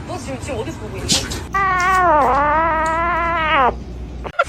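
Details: Domestic cat letting out one long, loud, tonal meow of about two seconds that dips in pitch midway and rises again before ending sharply, preceded by faint speech and music.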